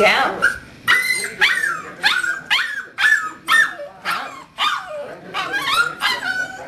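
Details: Seven-week-old puppy named Jim Beam, from a kennel litter, giving a run of high, sharp yips and short barks, roughly two a second, each with a quick rising-then-falling bend, some speech faint underneath.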